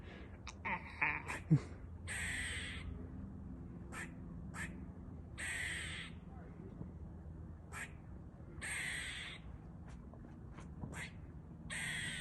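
A squirrel calls with short, scratchy, hissing bursts, each about half a second long, repeated at a steady pace of roughly one every one to two seconds. A few sharper clicks open the sequence, and a low rumble runs beneath.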